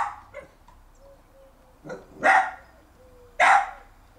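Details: In a garden, a young Jack Russell Terrier barks at its older brother who holds a bone; a soft yip, then two louder harsh barks about a second apart, with faint whining tones between.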